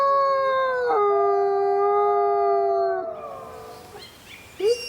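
A wolf gives a long, steady howl that dips in pitch, followed by faint rising yips.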